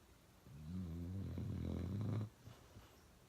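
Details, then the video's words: Uno, a pet dog, snoring really loud in a single long rumbling breath lasting nearly two seconds, low and throaty with a buzzing vibrato, then quiet room. "Uno Drinking Water and Snoring really loud"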